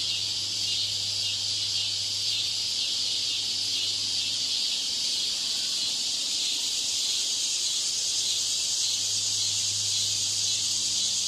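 A cicada's steady, high, hissing buzz drones on without a break.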